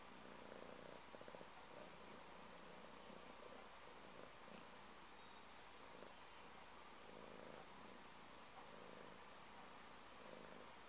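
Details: Close, quiet purring from a pet cat, a continuous low vibrating drone with gentle rhythmic swells from its in and out breaths, unbroken from start to finish, with only faint room hiss behind it.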